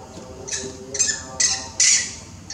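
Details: Large baby monkey still crying loudly to its mother for milk and grooming: four shrill, piercing squeals rising in strength, each short and harsh, spaced about half a second apart.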